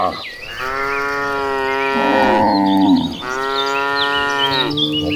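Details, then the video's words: Herd of hundreds of gentle cattle driven toward green pasture, producing long, steady, overlapping moos that fill nearly the whole stretch, with faint bird calls above. "Herding Hundreds of Gentle Cows Mooing Toward the Green Pasture, the Sound of Tame Cattle Mooing."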